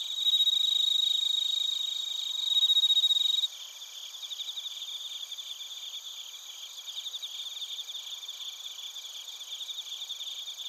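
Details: Chiba Prefecture crickets, bell crickets among them, recorded in Narita, Japan with a TASCAM Portacapture X8: a strong high ringing trill for about three seconds, then a steadier pulsing chorus of many high chirps.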